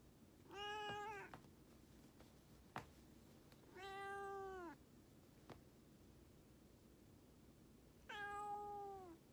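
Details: Indoor domestic cat using its sweet, coaxing voice to ask for attention: three long, even meows about every three and a half seconds, each gently dropping in pitch at the end, with a few faint clicks between them in a quiet room.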